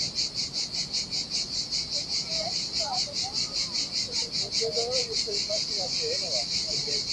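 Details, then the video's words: Heat-loving cicadas on a desolate Sardinian beach keep up a loud, shrill, rhythmically pulsing buzz, about two and a half beats a second, while faint thin chirps flicker in the middle range. "Ocean Waves & Cicada Sounds - The Most Relaxing Waves Ever - Cicadas by the Sea"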